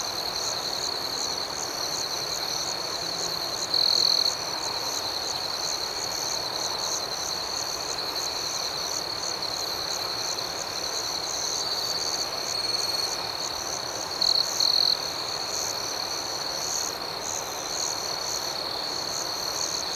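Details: Night chorus of crickets, a continuous high-pitched ringing trill overlaid with rhythmic pulsed chirps, broken by a few short, brighter trill bursts partway through and again later.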